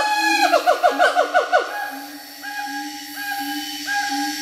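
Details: Siamangs in Bukit Barisan Selatan National Park, Sumatra, give a counter call of rapid, swooping, rising whoops followed by sustained loud hooting tones.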